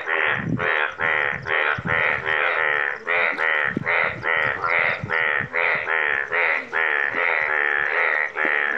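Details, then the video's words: Chorus of yellow frogs in Nepal: rapid, evenly pulsed nasal croaks running almost without pause, roughly two to three each second, many callers overlapping into a continuous throbbing drone. "So beautiful Yellow 🟡 frogs in Nepal"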